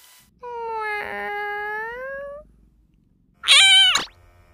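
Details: Domestic lap cat, the youngest of the household, giving a long drawn-out harmonic meow of about two seconds that rises slightly at the end, followed after a pause by a short, louder, higher-pitched meow.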